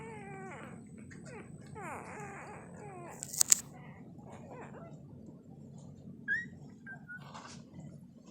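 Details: Labrador Retriever puppies less than two days old, sleeping and crawling, give thin, high squeals and whimpers that rise and fall in quick overlapping bursts.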